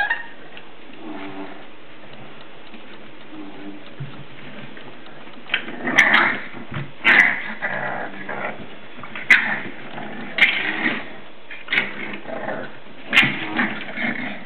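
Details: Seven-week-old English Bulldog puppies playing indoors: a quiet start, then from midway bursts of high yips, short growls and whines, mixed with sharp clicking knocks from the play.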